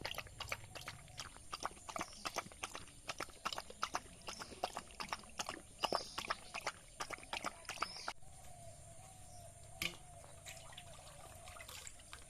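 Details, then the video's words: Rice being eaten by a village dog: dense, irregular chewing and lip-smacking clicks for about eight seconds, then the chewing thins out and a soft humming tone sits beneath scattered clicks. "Village dog eating rice | dog eating sound effect | dog eating food"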